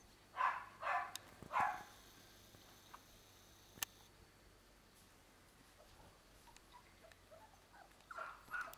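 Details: American Cockapoo puppies, six weeks old, out on orchard grass for the first time beside their mother Tancie, give three loud yappy barks close together, then quiet, then softer whining yelps near the end.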